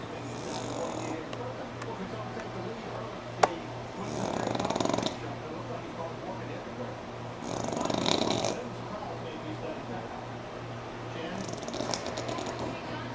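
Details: Sammi the pug sleeping through NASCAR, snoring in rasping bursts that return about every four seconds, each loud breath lasting around a second, with television speech and a faint low hum underneath.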